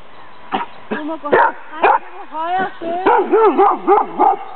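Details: A female dog named Sammy (Lewanika Dumisani) gives a few short barks, then a run of wavering, bending yips near the end. Recorded at her Danish Kennel Club temperament test, 14 April 2007.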